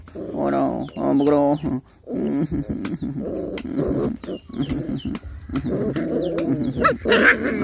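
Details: Hungry puppies nursing from their mother dog, giving a run of high, wavering whines and squeals with several short bursts close together, then softer whimpers and rustling toward the end.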